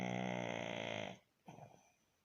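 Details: Snoring pug Baron, resting: one loud, buzzy snore of about a second with a dense rattling texture, then a softer, brief snuffling breath.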